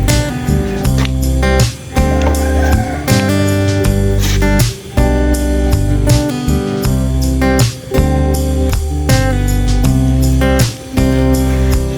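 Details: Strummed acoustic guitar music with steady chords and no animal sounds. No calls or other natural sounds come through the music.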